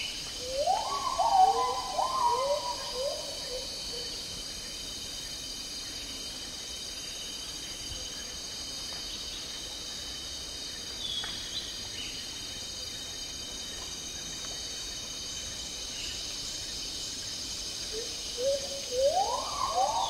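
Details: Agile gibbons calling in tropical rainforest in Malaysia: a burst of rising, stepped whooping notes opens the recording, then a long quiet stretch over steady high insect drone, and the rising whoops return near the end.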